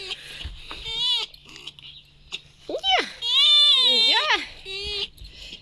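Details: Vasilisa the pet red fox, happy to greet her keeper at morning breakfast, gives a series of loud, high, wavering whines and squeals, some sliding sharply up and down, separated by short quiet gaps, with a low hum underneath.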